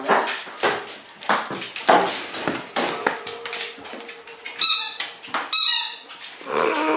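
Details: Eight-week-old pug puppy Audrey indoors at her first meeting with the household dogs Molly and Knarley: two short, high, squeaky whimpers midway, among scuffling thumps and clicks in a small room.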